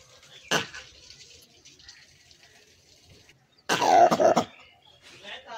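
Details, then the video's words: Langur producing a short rasping burst, then after a three-second pause a longer, louder, throaty bark with a pulsing, stuttering texture, followed by softer breathy noise. "Langur captan mud ma ha ।। monkey langur wildlife sound"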